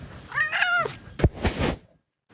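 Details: A domestic cat gives a short, high, squeaky meow with a slight wavering pitch, her nightly call while waiting for treats, followed by a thud and a voice.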